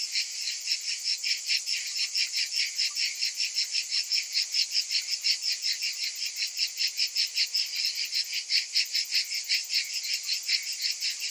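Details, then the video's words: Dense summer chorus of cicadas, a piercing metallic buzz that swells and fades in quick regular beats, about two to three per second, steady and unbroken. "Cicadas in Summer"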